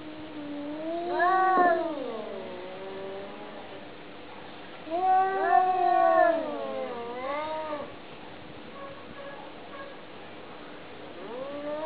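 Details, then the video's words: Domestic cat communicating: three drawn-out, wavering meows with rich harmonics, the first near the start, a louder rising-then-falling one around five seconds, a shorter one after, and a faint meow starting at the end over steady low hum. "How cats communicate"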